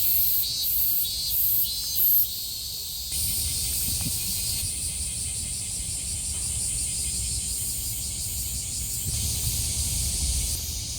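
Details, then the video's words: Summer cicada chorus at Kasai Rinkai Park in Tokyo: a few short, bright pulsed bursts at first, then a continuous high-pitched buzzing wall of sound with low outdoor rumble beneath. "매미소리에 이끌려- / せみの声に引かれて-"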